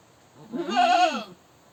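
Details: A goat lets out one drawn-out screaming bleat, swelling in loudness and trembling in pitch before fading, lasting under a second.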